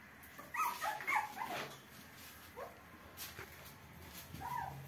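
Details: Newborn small puppies giving short high whimpers and yips in scattered bursts, several overlapping early on and another near the end, over a steady low background hum.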